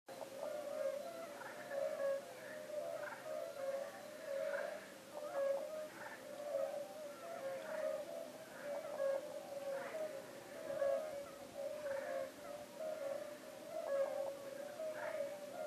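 Several European fire-bellied toads call together, each giving a low, hollow, bell-like 'oop' about once a second. The notes overlap into a steady, gently pulsing chorus with no other sounds of note.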